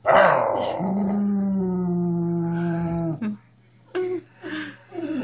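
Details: Miniature Schnauzer pet dog indoors giving a long sustained harmonic growl-howl lasting about three seconds, followed by short breathy vocal bursts and brief noises in a small room.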